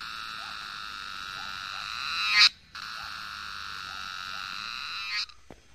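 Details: In the Himalayas of Nepal, while foraging for wild mushrooms, cicadas sing a loud, steady electric buzz that swells and then cuts off abruptly.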